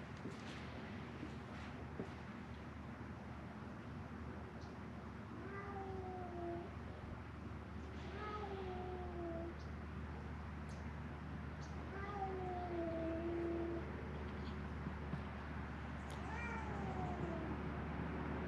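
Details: Feral cats at Mare Island Naval Shipyard in Vallejo, California, three of them crying for food by a closed-down building; four clear, descending meows spaced about three seconds apart over a steady low hum.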